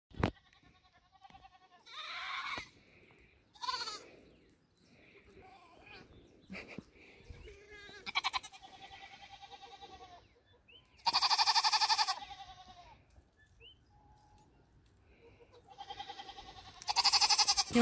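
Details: Nigerian Dwarf dairy goats on New Year's Eve 2020, in their first minutes near a buck for breeding. Loud, wavering, strongly harmonic bleats come in separate bursts of about a second, several across the stretch, with brief human voices between.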